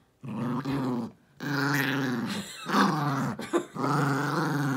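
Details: Jiffy, a pet dog, savages his stuffed toy elephant in his nightly after-dinner ritual. Long, sustained rumbling growls with a steady low pitch, broken by brief pauses and a short sharper snarl in the middle.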